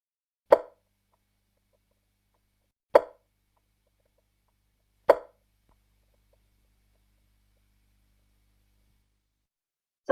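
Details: A striped marsh frog, common around Sydney and the east coast of Australia, gives single hollow clucking 'tok' notes about two seconds apart, like a ball bouncing off a fence; also called a chopping or clucking frog.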